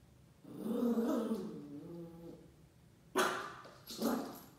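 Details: A Shiba Inu puppy, in his first week at a new home, meets a paper roll: a drawn-out, wobbling growl-whine of about two seconds, then after a pause two short, bright yappy barks, the second softer.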